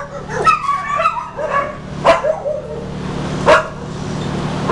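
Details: Blue heeler, an Australian Cattle Dog awaiting adoption, 31 July 2015: a wavering whiny whimper followed by four quick barks spaced roughly every one to one and a half seconds, with a constant background hum.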